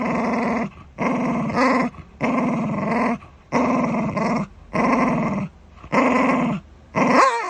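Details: Shiba Inu guarding its dental chew, producing loud, steady, rumbling growls about a second long with short breath gaps, ending in a brief rising whine.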